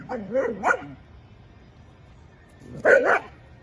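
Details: Chispa, a female Bull Terrier from a playful mother-and-daughter pair, makes two quick whiny yips at the start, then after a quiet gap a louder, warbling yelp; someone is speaking to her nearby.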